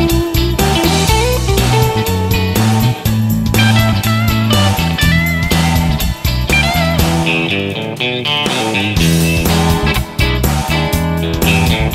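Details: Loud rock music with electric guitar riffs and heavy bass runs all the way through, with no animal sounds.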